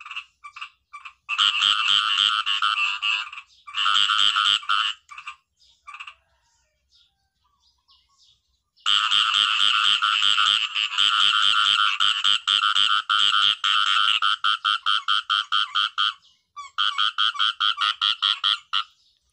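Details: Natural sound of a khiat i-mo frog: bursts of rapid, harsh, buzzing croaks broken by short gaps, a quiet stretch midway, then sustained pulsed calling that loosens into separate clicks before resuming.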